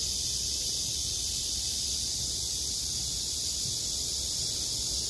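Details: Cicadas on a summer night produce a loud, constant high-pitched whirring hiss that dominates the sound, steady in level with no breaks, and only weak low background noise.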